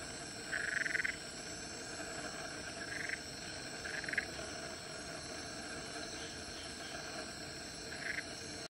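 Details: Black-eyed litter frogs wrestling in Central Catchment Nature Reserve, Singapore, 19 Nov 2016; a longer raspy pulsed call opens, followed by three brief rasps spaced a second or more apart, with steady insect hum behind.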